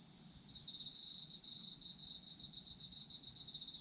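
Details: Autumn insects calling: a shrill, rapidly pulsed trill starts after half a second and continues steadily, layered over a constant thin high ringing drone from other insects, with a faint low rumble beneath.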